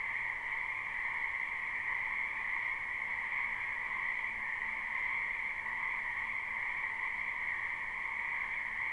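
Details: Many frogs calling in spring from a wetland behind a house, live recording: a dense, unbroken chorus with two steady bands of high trilling croaks that stay even throughout, over a faint low background hum.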